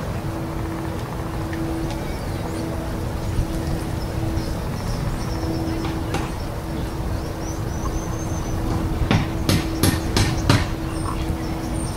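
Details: Steady low rumble like a vehicle or train, with a constant tone running throughout and a few sharp clicks and knocks near the end.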